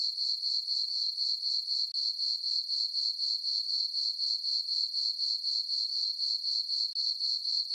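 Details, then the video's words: Peaceful summer night on a farm meadow beneath a full moon, where crickets produce an unbroken, piercing high trill, swelling in regular pulses of about four per second; no birds, wind or voices. "Cricket chirping sounds for sleeping"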